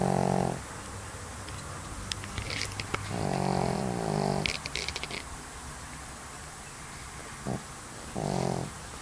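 A Pekingese snores in deep, rasping, buzzy breaths that swell and fade every few seconds.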